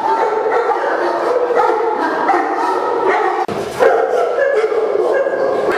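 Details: Dense chorus of barking from St. Bernards, English Mastiffs and French Mastiffs housed together at a large Indian kennel; many overlapping barks and higher yips, with a brief sharp break in the middle.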